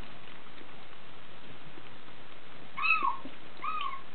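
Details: DeeDee, a Bengal kitten six weeks old, born 13 January 2014, gives two faint, high, bending mews near the end, the second shorter, after a quiet stretch of low room hiss.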